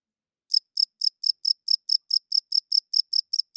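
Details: Night-time cricket chirping, starting after a brief silence, then evenly spaced high pulsed chirps roughly four per second, each made of several quick ticks, with nothing else audible.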